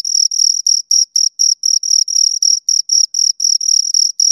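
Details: Shrill, high chirping from two crickets, short grating bursts spaced evenly at a fast pace, clean and close with no background noise.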